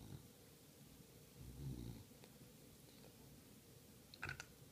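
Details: One English bulldog gives a deep, rumbling snort-like breath, then a brief sharper click-like sound near the end; quiet hiss throughout.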